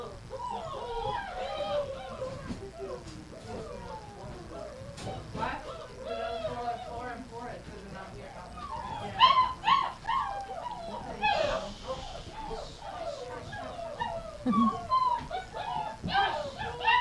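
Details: Many dogs, called athletes, excitedly howl and yip during gruel feeding in a kitchen on January 20, 2017: overlapping wavering, rising and falling whines and yelps from several animals, with people talking underneath.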